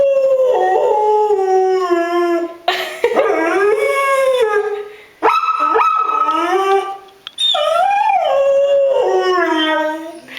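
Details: Dog howling in a series of long wavering tones separated by short breaks, each one sliding up and then falling, with rich harmonics and a near-continuous voice.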